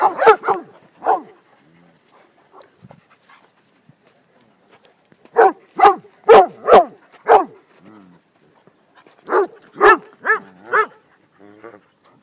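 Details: Dogs from a pack of more than 20 playing peacefully together in a small area at a small dog school in Szentendre, Hungary; loud, sharp barks come in quick bursts of three to five, separated by short quiet gaps, with a few softer yips between.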